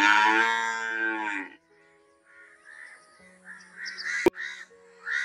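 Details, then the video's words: Cow giving a loud, rich moo lasting about a second and a half, followed by a pause and then softer harsh cawing of crows in the background. "Amazing cow moo voice - gaiye ki awaaz"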